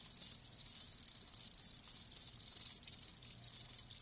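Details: High, bright cricket chirps pulse in quick bursts several times a second from live crickets, a close, busy chorus.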